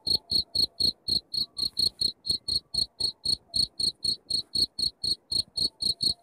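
A cricket chirps steadily, with bright, high pulses about four times a second.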